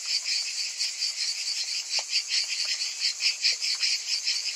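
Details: Summer cicadas in full chorus: a shrill, hissing buzz with uneven swells roughly once a second, plus a few faint low clicks and ticks beneath.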